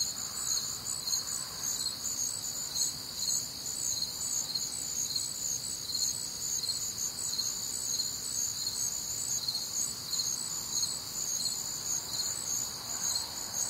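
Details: Night chorus of crickets recorded on a warm, humid summer night in the Midwest, many high shrill chirps layered in steady bands and pulsing continuously without pause.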